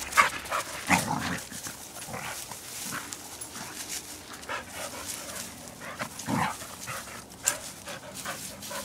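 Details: Pet dogs play-fighting on a walk outside, giving scattered low growls and huffing snarls in uneven bursts with panting and scuffling between, louder peaks around one and six seconds.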